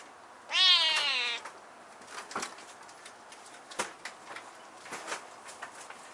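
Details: One hoarse, strained meow from a husky-voiced kitten perched high in a room, lasting under a second, followed by scattered soft knocks and clicks of movement.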